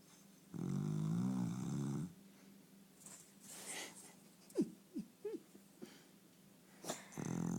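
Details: Snoring dog indoors: one long rumbling snore, then a few short high squeaky rising sounds and light rustling, before the snoring starts again at the end.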